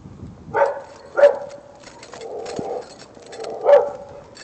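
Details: Neighbour's dog barking from a second-storey apartment at the Prado apartments, a persistent nuisance; short sharp barks at about 0.6, 1.2 and 3.7 seconds with a drawn-out whining note between them.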